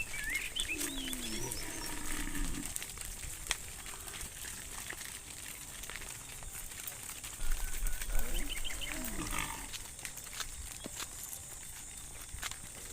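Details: A herd of cows is led through sticky rice-field mud to the livestock pen; two drawn-out, falling moos, one at the start and another around eight seconds, with steady background hiss and faint rustling between.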